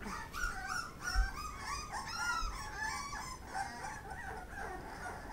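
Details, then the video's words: Pit Bull puppies eating, giving a steady stream of overlapping thin whiny squeals and whimpers that rise and fall, with several puppies calling at once over a constant noisy background. "Pitbull puppie's eating"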